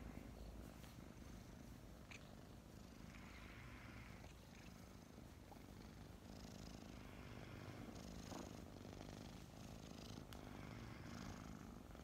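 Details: Morning purring from two snuggling kittens, Mint and Mocha, about five months old and just adopted; a dense, low, unbroken rumble fills the recording, with faint scattered clicks and rustles above.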